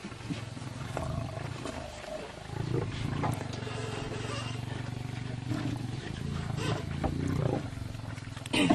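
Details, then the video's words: Lions fighting: a steady, deep rumbling growl runs through most of the stretch with low droning tones, joined by a few brief louder snarls and faint human voices. "lions Fight"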